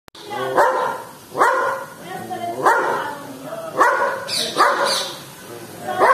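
A Belgian Malinois barks harshly and forcefully, with loud deep barks coming in bursts.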